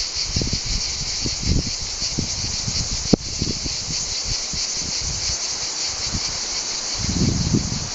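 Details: Cicada orni chorus, a steady shrill hiss that runs unbroken throughout, with a sharp click near the middle and soft low rumbles from handling or wind.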